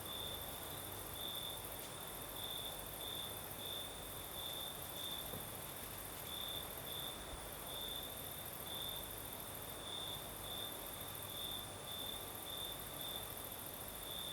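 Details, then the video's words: High chirping trills of crickets at night in southern Crimea, with a night breeze, repeat steadily in quick pulsed groups against an even, bright insect hiss and low background murmur. "Сверчки поют"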